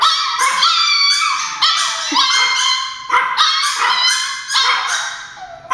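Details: ['Several pet Chihuahuas barking because they think their grandma is at the door; high, sharp, harmonic yips overlap in rapid bursts, with short pauses between volleys.']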